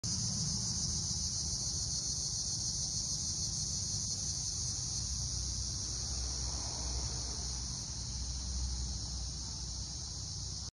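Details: Annual dog-day cicadas at dusk, before nightfall in summer, fill the air with a steady, high, buzzing drone that never lets up.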